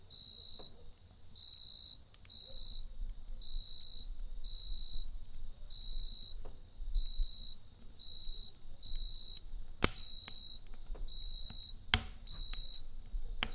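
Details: Cricket calling at night next to a campfire, giving regular high-pitched trilled chirps roughly every second throughout, over fire crackle, two loud snaps and a steady low rumble.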